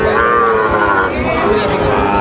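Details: Sahiwal bull calves at the Thursday Raniganj cattle market in Dinajpur, Bangladesh, on 20 June 2024; a drawn-out, steady lowing moo over continuous crowd chatter and traders' voices.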